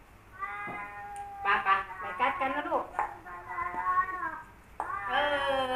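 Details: Male cats Kaopat and Ronja in a rivalry standoff at home, Ronja a formerly wild cat. A steady moan breaks into rapid warbling yowls, then a long sustained wail and a loud rising howl, with a person speaking faintly.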